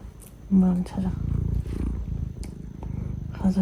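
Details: Male British Shorthair cat, greeting its owner after sulking, purrs with a low, steady rumble, broken by short chirped meows at the start and end while a woman speaks Korean softly.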